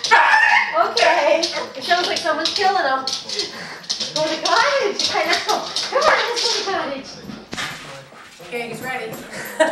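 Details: A 4-year-old male Border Terrier × Boston Terrier cross dog howls and whines in wavering, rising and falling notes from excitement after being told the family is going to the cottage, while people talk.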